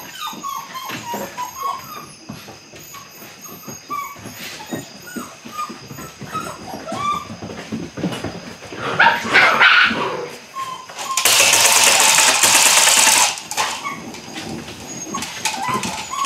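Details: Belgian Malinois puppies aged eight weeks at the beginning of bite work: repeated short whimpers and yips through the first half, then a loud two-second rush of broadband noise and more scattered whines.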